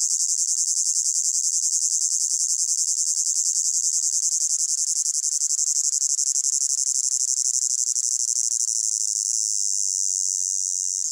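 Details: Crickets in a hot summer meadow keep up a dense, high, shimmering trill that never pauses.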